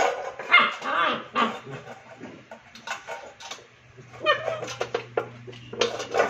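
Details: A frustrated Rottweiler puppy fusses over a plate that flipped upside down while it played. Short, strained yelps and whiny cries come in quick bursts, and a low steady hum runs underneath.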